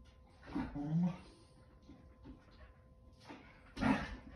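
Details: Play growling from Kumo the Keeshond and Sully the Boston Terrier during a game of tug indoors: low, rough voiced bursts near the start and again at the end, with a quieter grumble between.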